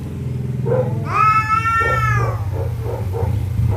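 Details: Domestic cats at night, territorial rivals threatening each other: a single drawn-out wailing yowl, rich in harmonics, rising then sagging over about a second, over a steady low rumble of background noise.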